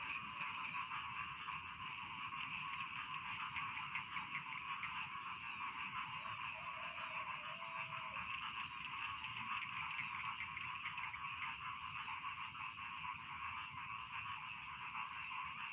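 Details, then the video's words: Dense, unbroken croaking from many rice field frogs calling together, a steady rasping drone. A faint sliding tone appears briefly near the middle. "Bedtime Frog Sound || Suara Katak Sawah Pengantar Tidur"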